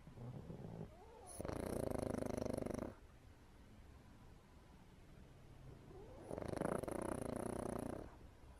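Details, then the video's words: Pug dog snoring through an afternoon nap: two long rasping, rumbling snores of about one and a half seconds each, roughly five seconds apart, with quiet breathing between them. "Pug Snore"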